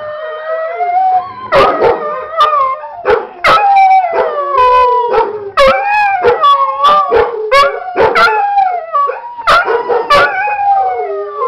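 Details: Pet dog named Macon howling along to a played recording of two other dogs, Sidney and Shadow, barking: long wavering howls sliding up and down, broken by sharp bark bursts from the recording, repeating over eleven seconds.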